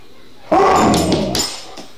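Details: An Alaskan Malamute, spooked by a familiar vase as if seeing something there, gives a sudden, rough, rumbling growl lasting about a second.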